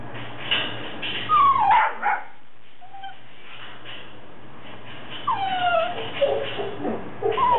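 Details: Two puppies whimpering and yipping: thin, high, sliding whines that fall in pitch, bursts around the second and again after five seconds, with a low steady hum underneath.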